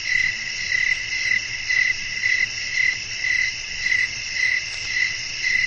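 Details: Night-time crickets chirping amid blowing wind. Loud chirps pulse about twice each second in a steady rhythm over a high, constant insect drone, with light low-frequency background noise.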